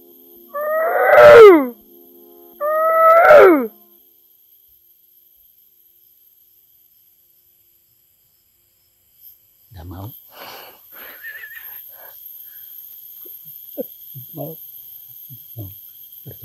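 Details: A dominant adult male Bornean orangutan in a big tree in tropical forest in East Borneo, Indonesia, disturbed by observers, gives two loud, rich pulses of its long call, each sliding down in pitch.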